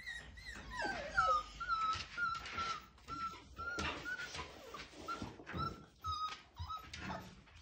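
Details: Young Siberian Husky puppy, five weeks old, trying to howl: thin squeaky whines held on one high pitch, broken into short pieces about twice a second, mixed with soft yelps and rustling indoors.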